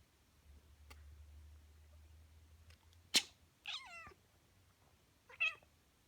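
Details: A black cat meows in response to sneezes while grooming herself; a sharp sneeze-like burst comes first, then a short wavering meow with stacked harmonics, and a brief fainter meow about two seconds later in a quiet indoor room.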